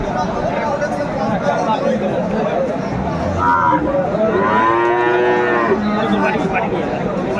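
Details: Friesian and crossbred bull calves at Aftabganj cattle market in Dinajpur, Bangladesh, on a Tuesday market day, 10 September 2024. A short harmonic bellow around three seconds, then a longer wavering moo near five seconds, over constant crowd chatter.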